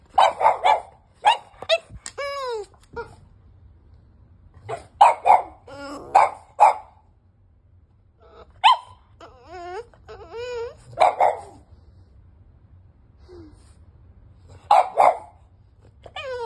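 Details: Bear, a five-month-old French Bulldog puppy demanding to get into the bed, alternates bursts of short sharp barks with wavering high whines and yelps, pausing between outbursts, indoors.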